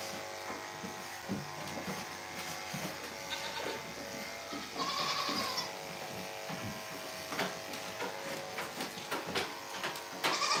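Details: Single drawn-out goat bleat midway through, quavering and fairly faint, on a farm in the morning, set among frequent clanks, knocks and a continuous mechanical hum.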